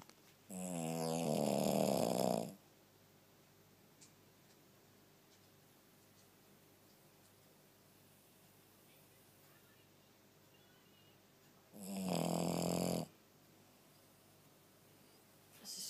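A Shih Tzu snores in loud, rasping bursts separated by long quiet pauses.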